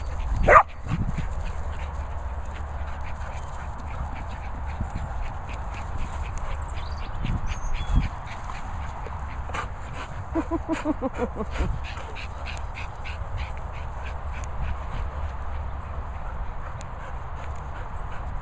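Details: Murphy, a Foxall Cocker Spaniel, and Otis, an English Setter, play wildly outdoors at kennels set in Worcestershire countryside; a sharp bark near the start, then quick runs of short yelping pulses over steady low rumbling wind noise.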